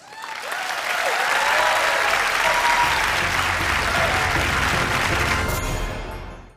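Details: Loud applause over music fills the room at a talk on fishing cats and mangrove conservation, then fades away; no animal sound.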